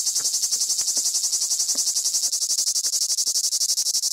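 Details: Huge cicadas singing on Crimean pistachio trees at Fiolent, Black Sea shore of Crimea; a harsh, shrill high-pitched buzz made of rapid, regular pulses, about ten per second, with a few faint clicks below.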